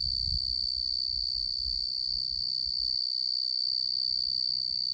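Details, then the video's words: Tree cricket male, genus Oecanthus, singing one loud, steady, high-pitched continuous trill with a clear overtone, with faint low thumps early on. "Tree Cricket"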